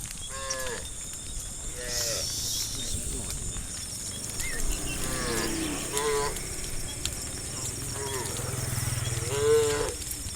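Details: A herd of cows being herded toward a livestock farm area moo repeatedly, giving long harmonic lowing calls over a steady background hum.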